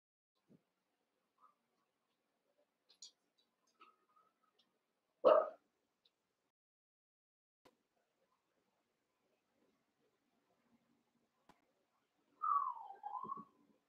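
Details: Cavalier King Charles Spaniel puppies playing in a pen, a litter of eight aged around seven weeks; one sharp, loud bark stands out mid-clip, then a rising-and-falling whining yelp near the end, with quiet pauses and faint clicks between.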